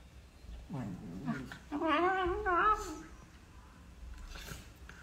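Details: Beagle puppies at play give a short low wavering whine, then a louder drawn-out higher whining yelp with a wobbling pitch lasting about a second, followed by quieter scuffling.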